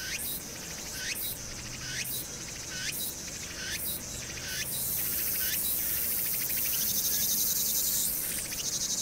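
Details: Hwangnyeongsan cicadas, summer 2019. A rhythmic phrase of rasping pulses ending in a quick upward-sliding whine repeats roughly every 0.8 seconds. Then a thinner, continuous high hiss takes over above faint city traffic rumble.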